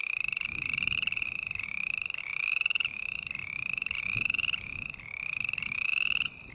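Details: Rhythmic rasping calls of a green tree frog, pulsed notes sliding slightly upward, about half a second each, repeated back to back, with faint low background noise.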